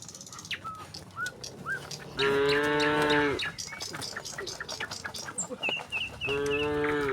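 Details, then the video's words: Dozens of tame cattle walk out of the barn toward a wide green pasture, mooing to one another. A long harmonic moo of about a second comes midway and another near the end, with bird chirps and scattered clicks in between. "suara sapi moo"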